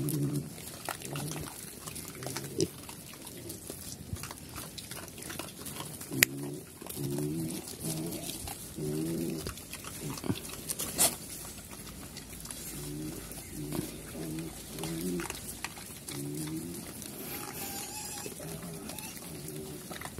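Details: Pigs, called Chrouk Kandorl in Cambodian, living on a farm in Cambodia and running around, give low harmonic grunts in short repeated bursts, with pauses between runs, over a steady background of rustling and farm noise.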